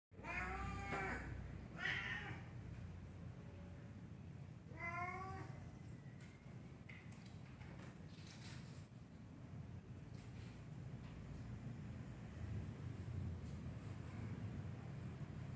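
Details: A black cat up a tree meows in a series of short arched calls at the start, two close together, then a pair near five seconds, over steady low rumbling background noise.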